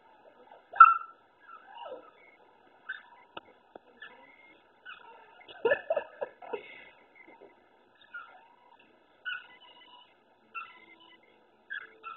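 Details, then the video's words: Several puppies barking and whining at a black cat indoors. They want the cat out of where it sits. Thin, high whines and short yelps come in scattered bursts, mostly soft, with one sharper cry near the start. "Puppies bark and whine at black cat."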